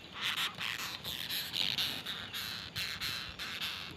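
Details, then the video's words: Longhorn beetle of the tribe Batocerini producing harsh, scratchy squeaks in rapid bursts, several per second, each burst broad and grating with a bright upper edge, over a faint steady background hiss. "Kumbang Bersuara Aneh(Batocerini)"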